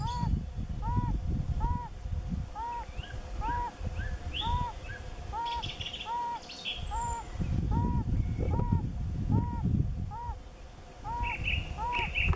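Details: Yellow-bellied toads during the mating season: soft, short arched notes repeated steadily about twice a second, several toads overlapping in a chorus, with faint high chirps and low rumbling wind or handling noise beneath.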